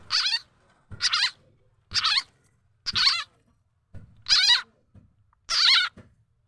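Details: Khiat chana frog, or khiat i-mo, a call used to lure birds, chickens and other fowl; six loud, rasping harmonic squeals, each about a third of a second long, repeated roughly once a second against a quiet background.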